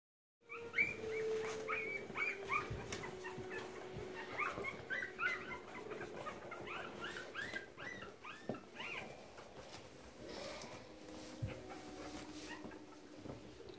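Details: Keeshond during nursing, March 2017: a busy stream of high, squeaky whimpers and short arched yelps. The calls come in rapid overlapping bursts, loudest in the first half, with softer squeals continuing over faint room noise.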